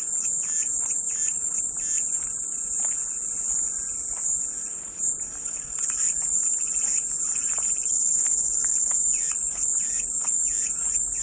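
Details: Cicada song heard as white noise: a steady, high-pitched, shimmering drone that runs unbroken throughout, with faint short chirps from other animals scattered beneath it.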